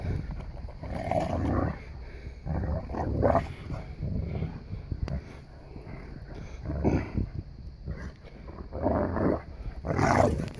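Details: Play fighting in snow among Boerboels, Jade and Odi ganging up on son Crusher: deep rumbling growls in repeated surges, loud low bursts near the start, middle and end, with snowy scuffling throughout.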